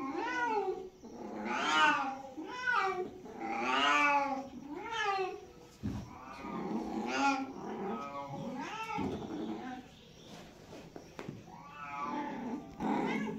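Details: Several domestic cats meowing in a dense, overlapping series, with long wavering and rising-falling meows following one another irregularly, some strained and caterwaul-like, a brief gap near the middle, then quieter cries and a loud final meow.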